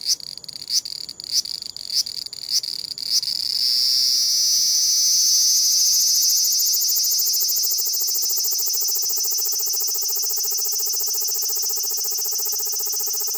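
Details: Large brown cicada on a compact digital camera: a few short grating pulses at about half-second intervals, then a continuous shrill drone that swells and holds steady, the stretch described as sung while sitting still, distorted by its high pitch.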